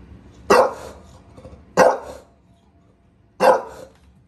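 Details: Bulldog barking at a gate in New York City: three loud, gruff single barks spaced more than a second apart, quiet room noise between them.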